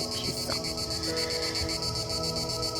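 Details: Cicadas singing outdoors, described as quite loud: a steady high buzzing band that pulses evenly about five times a second, with a low droning hum underneath and a few faint brief clicks.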